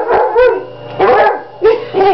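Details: A Redbone Coonhound, a female dog awaiting adoption, giving deep, throaty bay-like barks in quick succession, four bursts in two seconds with a slightly howling tone, loud and close, over a low steady hum.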